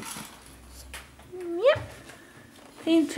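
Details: Alex the cat begging for food, giving one clear upward-sweeping meow followed by a short, flatter second meow, indoors with quiet background and faint people nearby.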